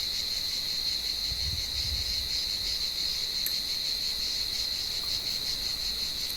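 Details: Cicadas calling at dusk in an olive tree while blind cats hunt them; a constant high, thin buzzing tone fills the whole stretch, with brief low thuds early on and a couple of faint clicks.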